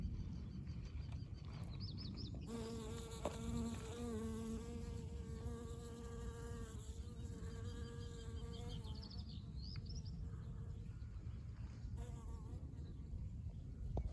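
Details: A honey bee dusted with pollen flies over a dandelion in bloom in spring, its low, steady droning hum holding for about six seconds, wavering slightly. High, thin bird chirps sound faintly before and after over a low, continuous rumble.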